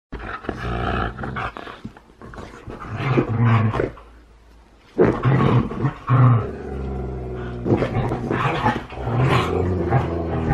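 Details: Huskies wrestling in play, which may look like fighting: deep rough growls and roars in bursts of one to two seconds, separated by a quiet gap, over a steady low hum.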